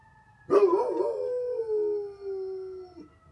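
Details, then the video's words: A Great Pyrenees howls at a fire truck siren as if matching the pitch: one long drawn-out howl, wavering at first, then sinking steadily in pitch before stopping abruptly, with the siren's steady tone underneath. "Great Pyrenees howling at a fire truck siren!"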